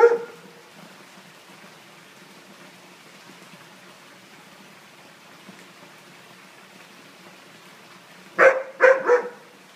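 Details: A Siberian Husky, afraid of balloons, gives a few sharp, frightened yelps in quick succession after a long quiet stretch.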